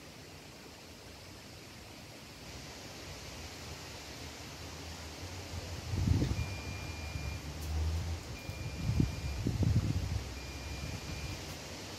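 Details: Outdoor wind and rustling noise with low rumbles, a few louder thumps and handling bumps around the middle and end, and faint steady high tones; no animal voice stands out.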